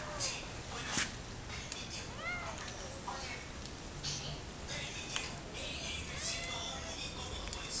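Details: A hungry cat meows several times in short, arching, rising-falling calls spaced a couple of seconds apart. Sharp clicks and taps and a constant noisy hum sit behind it.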